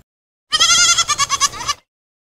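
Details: Goat bleating once, a single wavering, nasal cry of about one and a quarter seconds with a tremulous, pulsing end, abruptly starting and stopping in otherwise silent surroundings.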